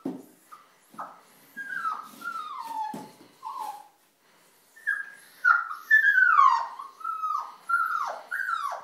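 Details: Puppy stuck in a tissue box crying in the early morning, 4:45am; clear descending whines and yelps in rapid series, a short pause midway, then louder, longer drawn-out cries.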